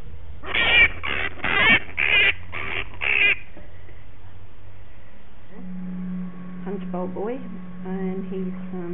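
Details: Injured male bat named Punch, bitten by a dog in a suburban backyard and pulled from rose bushes, gives five loud, rasping scream bursts about half a second apart, followed by a steady low hum and faint human voices.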